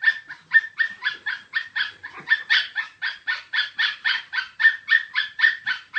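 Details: Chihuahua yapping nonstop: about twenty rapid, high-pitched barks in six seconds, roughly three or four a second, strong and even throughout with no other sounds.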